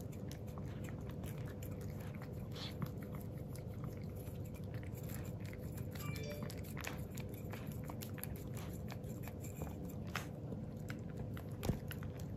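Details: Male Miniature Pinscher puppy Jiro, black and tan with an undocked tail, works through his first plain yogurt indoors: a long steady stream of quiet lapping and sticky mouth smacks, with one sharper click near the end.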